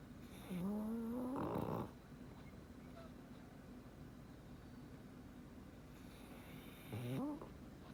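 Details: Sleeping black pug snores with a wheezy, upward-sliding whine that breaks into a rattling snort, then a silent pause and a shorter snort near the end, quiet indoor background.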